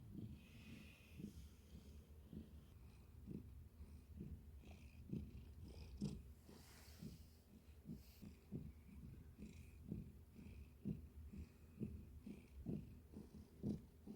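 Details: Domestic cat giving a soft, low purr, with gentle regular pulses about once a second as it breathes in and out, quiet and close, with a brief rustle midway.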